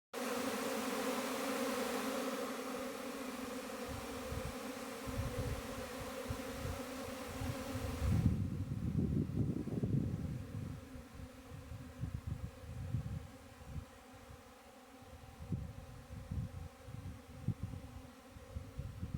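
A steady, droning hum of honey bee wings, layered in low harmonic tones, then rumbling handling noise.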